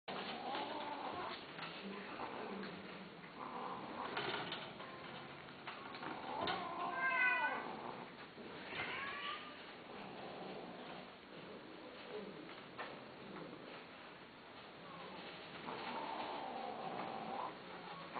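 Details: Domestic cat giving a run of wavering meows that rise and fall in pitch, loudest near the middle, with people talking through much of the recording.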